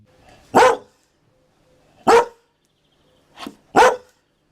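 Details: Dalmatian dog barking indoors-close: a sharp single bark, another about one and a half seconds later, then a quick softer yelp followed at once by a loud bark, with quiet gaps between.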